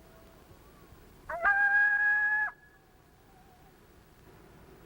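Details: A lone coyote gives a lone howl: brief barks then a flat, steady howl meaning "hello, who's out there?", which draws a response from nearby coyotes.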